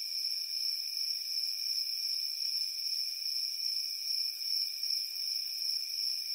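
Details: Crickets chirping on a warm summer evening: a dense, steady high-pitched chorus of trilling in several stacked tones, softly pulsing without pause throughout, no other sounds.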